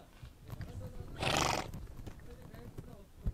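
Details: Horse on the Mongolian steppe outdoors: one short, breathy, broadband snort bursts out about midway, lasting under half a second, over a low rumbling background with faint scattered clicks.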